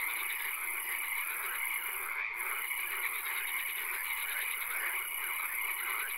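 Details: Swamp frogs at night, with occasional rain: a thick wall of pulsing croaks, a faint repeated dashed note, a continuous high-pitched hiss, and a brief sharp tick just past two seconds.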